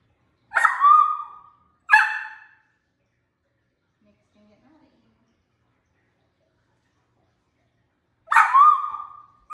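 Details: A miniature dachshund puppy barks three times to demand play with her stuffed elephant toy: short, bright, slightly yelping high barks, two about a second apart, then a long quiet gap before the last.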